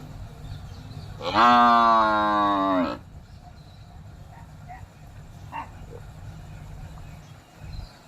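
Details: Buffalo giving a single loud moo lasting under two seconds, rich in harmonics with a slight downward bend at the end, followed by quiet background with faint clicks and low rumble.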